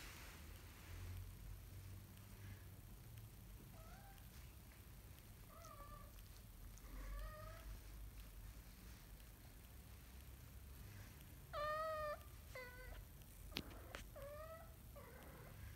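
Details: Kitten learning to walk, giving short high harmonic meows that rise and fall, scattered across the clip with gaps, one louder cry near the end, over a low steady hum.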